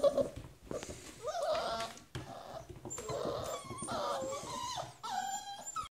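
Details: A box of hungry puppies waiting indoors in the morning while fresh paper goes down in their pen: short whimpers and yelps in several bursts, some rising squeaks, with scuffling and scratching between cries.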